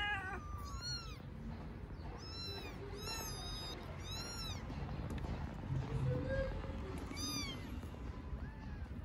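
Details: Small stray kittens living on an Istanbul street mew insistently so the person feeding them stays, giving repeated shrill, arching cries, often two or three close together, against a constant low background rumble.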